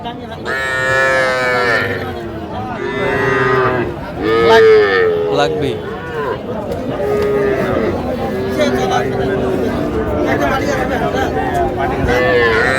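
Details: Bellowing at a Bangladeshi cattle market in Faridpur, 17 March 2025, where young Sahiwal bulls and heifer calves are traded: repeated moos keep coming throughout, one loud clear call near four seconds, with continuous voices and crowd noise.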